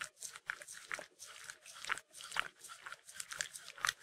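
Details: Shetland Sheepdog indoors licking peanut butter: wet, rapid smacking and lapping sounds repeated roughly twice per second, with small clicks and slurps.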